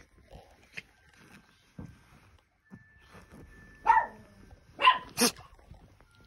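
Two brief, high-pitched yips from an Italian Greyhound come about a second apart, each bright and slightly nasal, and a harsher broadband burst follows. Soft thumps and a faint steady tone sit in the background.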